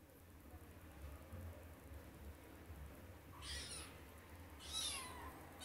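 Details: Kitten trying to climb onto a bed gives two high, thin meows about a second apart, the second falling in pitch at its end, over a low steady background hum.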